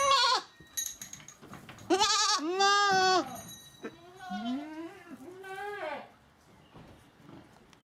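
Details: Domestic goats bleating: a short bleat, then two loud wavering nasal bleats, followed by softer rising and falling bleats from another goat fading out, with light rustling in the background.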